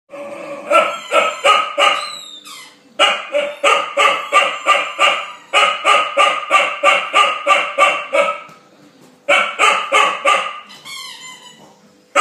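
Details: Lola, an eight-month-old Chow Chow, barking at her brother Arthur the bulldog over his bone: rapid sharp barks about three per second in long bursts, broken by two brief pauses, with a high whine between bursts.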